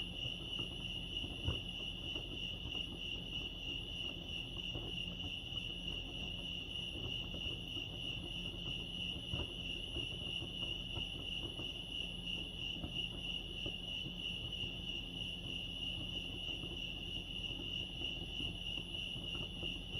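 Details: A long stretch of cricket song at Lake Arrowhead, California, a level, high-pitched continuous trill running unchanged, backed by a gentle low rumble and sporadic faint taps.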